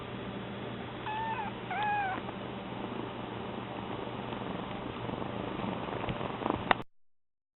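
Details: Domestic kitten Mame, newly arrived in her home, gives two thin, wavering meows in quick succession about a second apart, rising then falling, followed by quiet indoor room tone; the household's second cat Koge purrs steadily throughout.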